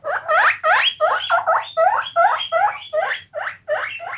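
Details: Guinea pigs squeaking in a quick series of loud, bending squeals, roughly three per second, each note sliding up and back down with bright harmonics; a faint low hum runs underneath.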